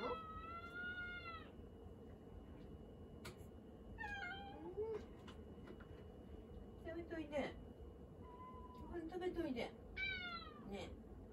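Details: Domestic cat demanding attention in a kitchen while someone cooks, meowing repeatedly: long harmonic meows with falling tones, several short chirpy calls, and a person talking to it, asking why it won't eat.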